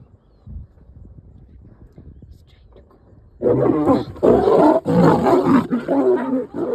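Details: Lioness snarling at a male that tried to mate with her, roadside in Nairobi National Park, Kenya; quiet start, then from mid-clip loud harsh rasping growls in bursts.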